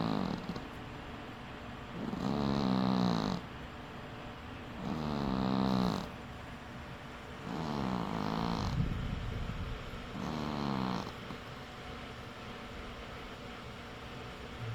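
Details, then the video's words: Cat asleep and snoring, four rough rasping breaths at roughly three-second intervals, each a buzzy low drone lasting about a second, with quieter pauses between. "Cat Snores"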